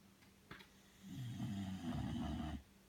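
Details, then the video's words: A sleeping Bulldog called Belle draws one long, deep, rattling snore of about a second and a half after a faint click. "Bulldog snoring"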